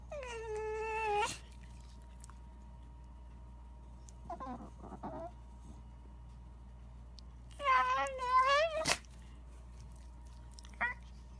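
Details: A Shiba Inu wrinkling its nose. It gives a drawn-out, wavering whine that dips and then rises. Short broken whimpers follow, then another long quavering moan near the end. A quiet room hum sits underneath.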